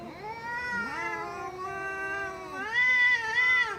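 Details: Cat holding a sustained, slightly wavering yowl that steps upward in pitch toward the end, steady and tonal throughout with no other sounds.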